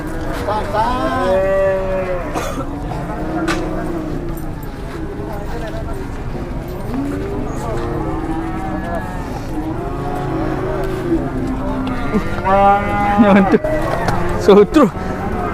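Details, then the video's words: Furious cattle unloaded from a truck in Indonesia, charging at handlers: a series of overlapping deep moos and harmonic bellows from several animals, with human voices and sharp knocking sounds near the end. "DI SERUDUK SAPI NGAMUK TURUN DARI TRUK"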